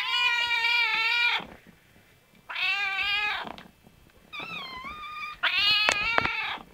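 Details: Cat giving four long, loud meows, separated by pauses of about a second, the third thinner and wavering, the last broken by a couple of sharp clicks.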